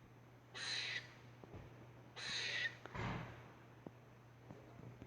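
A squirrel gives two harsh, raspy screeches, each about half a second long.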